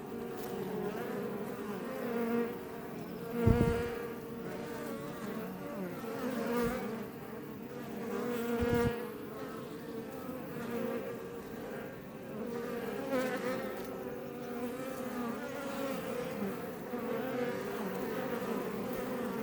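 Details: Swarm of Iberian honey bees around a Langstroth beebox near Roquetes, south Tarragona, Spain; steady buzzing drone, with two louder close fly-bys and a few soft knocks standing out from the hum.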